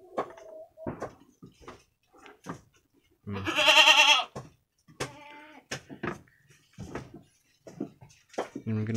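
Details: A week-old brown Jawarandu goat kid, one of two playing together inside a pen, gives a single loud trembling bleat lasting about a second, surrounded by a man's speech, rustling and scattered clicks.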